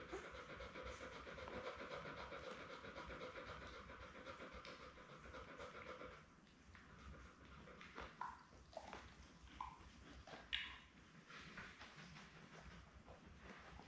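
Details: Belle, a Labrador Retriever mother of seven puppies born May 24, 2021, on a June 4 live puppy cam: fast rhythmic panting for about six seconds, then it stops. Quieter rustling follows, with a few faint short squeaks.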